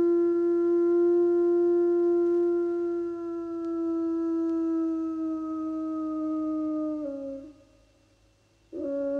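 An Iberian wolf gives a long, steady howl that sinks slowly in pitch before breaking off.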